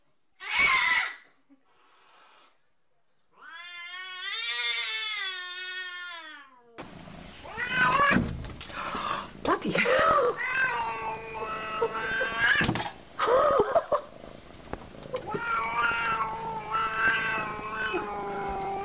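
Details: Domestic cats fighting through glass: a sharp opening squall, then a long wavering yowl, followed by a tangle of overlapping growling howls and hisses, with scuffling noise throughout the second half.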